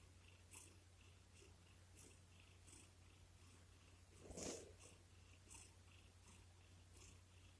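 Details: Domestic cat named Boku snuggling up to its owner's lap, purring while seeking affection; a soft, steady low rumble runs throughout, with a brief rustle near the middle and faint ticking sounds indoors.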